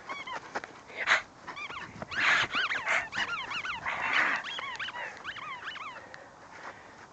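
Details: Pet dog Hugo whining steadily, a rapid string of short rising-then-falling squeaky cries with bright overtones, a few louder breathy bursts between them.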